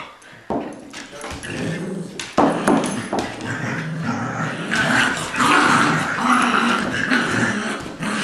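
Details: In a tug-of-war game, Jack, a six-week-old Golden Retriever puppy, faces Colby, a two-year-old adopted Lab mutt. A few soft thumps and short noises give way to a building, continuous rough growl with small yelps.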